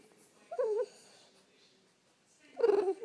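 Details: French Bulldog whining to wake its owner: two short whines about two seconds apart, the first with a quick rising-falling wobble, the second flatter and louder, in a quiet room.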